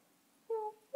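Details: Bengal kitten in a lap getting pats makes a short, thin mew, a brief clear tone followed by the start of another.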